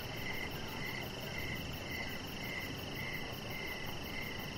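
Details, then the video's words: Evening crickets near a deck, repeating short trilled chirps at an even pace of about two per second, with constant shrill insect tones overhead and quiet low background noise. "Cricket Sounds"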